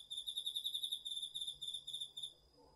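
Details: Autumn insects, crickets among them, singing at night in a home garden field in Japan, captured on a DR-40X recorder; a high, rapidly pulsed trill of pure notes runs for about two seconds before fading.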